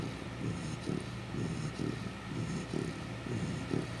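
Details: Sleeping Chow Chow snoring: soft, low rumbling breaths pulse roughly once a second in a steady rhythm, with faint background hiss throughout.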